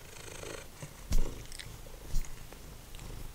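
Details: Deep, continuous purring from Simba, a once-feral domestic cat, as he snacks on dried minnows indoors, with two brief chewing clicks breaking through the steady low rumble.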